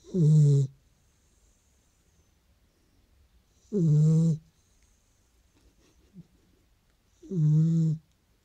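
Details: Sleeping Beagle snoring: three deep, rumbling breaths with a hissy airy edge, each lasting under a second and repeating roughly every three and a half seconds, with quiet pauses between.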